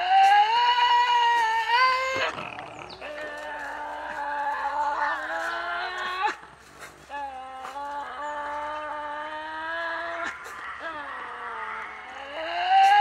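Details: Tasmanian devil feeding at night and defending its food against others: long, sustained harmonic whining growls, held steady and rising slightly, with brief breaks and sharp clicks of crunching between calls.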